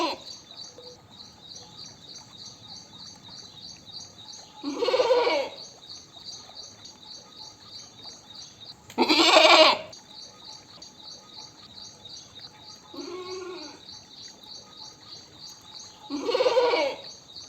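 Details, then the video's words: Goat bleating: three loud, wavering bleats with a rough, buzzy quality, spaced several seconds apart, plus a fainter one. A steady, high, pulsing insect chirp runs underneath throughout. "Animal Sounds Goat, Goat Voice Sound, Voice of Goat, Goat Call, Goat Mp3 Sound, Goat Sound Effects"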